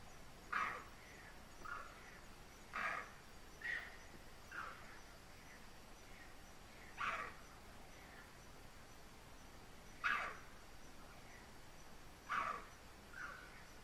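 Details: Bonnet macaque alarm calls given in the dark after seeing a leopard: sharp, short barking calls repeated irregularly every one to three seconds, some followed by softer echoing calls, over quiet night background hiss.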